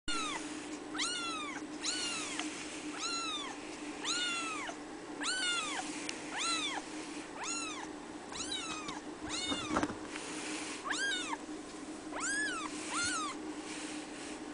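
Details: Red female Abyssinian kitten, three weeks old, at a cattery, mewing repeatedly: short high squeaky mews, each rising then falling, about one per second, over a steady indoor hum.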